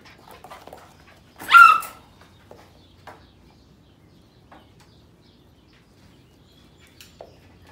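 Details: Sheepadoodle puppies from the Pepper and Cocos litters of 2020, some playing while others sleep; one sharp, high-pitched yelp that bends upward and then drops, early on, amid faint scuffling and soft shuffling noises.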